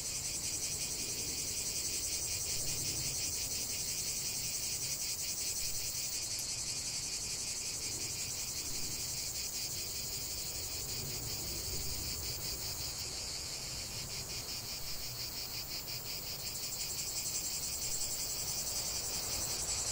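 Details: Chorus of cicadas in nature, an unbroken shrill buzz pulsing rapidly at a steady rate, with a slight dip in loudness near the end and soft low background rumble.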